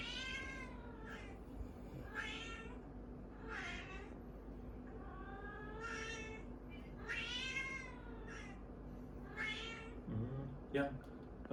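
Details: Orange domestic cats being egged on against each other. A series of about eight drawn-out, wavering meows and yowls follows in quick succession, each rising then falling. A steady low hum runs underneath, and a short clatter comes near the end.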